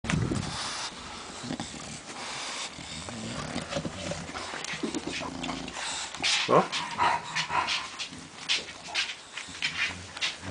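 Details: Baby bulldog from Tyhill: a young puppy making scuffling, panting and growly noises, with short sharper yelps clustering in the second half, over a rough, noisy background.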